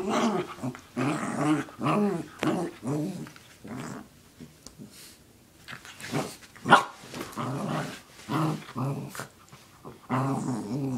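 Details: Sarah, a pet dog, growling indoors while going after a sock. Throaty, harmonic growls come in rapid bursts through most of the stretch, with a few brief pauses.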